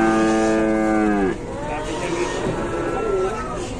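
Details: Cow in Indonesia, trapped and collapsed during a rescue, gives one long harmonic moo of more than a second. It drops sharply in pitch at the end and is followed by fainter, rougher lowing.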